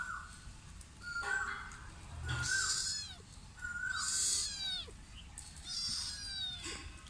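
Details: Sri Lankan cats, a mother and her son, meowing back and forth: several short rising-then-falling meows, some thin and high, others fuller, spaced a second or two apart over a light background hiss.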